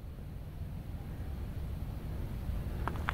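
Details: Low wind or engine rumble outdoors in open fields, with two brief faint knocks near the end and no animal call.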